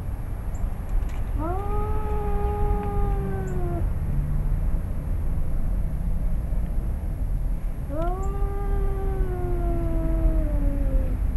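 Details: Two male domestic cats, a father and his son, face off in a yard in Arequipa, Peru, about to fight: two long, wavering yowls rise then slowly fall, about six seconds apart, over steady low background rumble.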